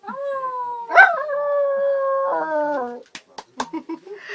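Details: Dog met on a passenger train and coaxed by people to sing, giving a long sustained tonal howl that holds steady, dips slightly, then trails off lower, followed by clicks and brief Bulgarian voices.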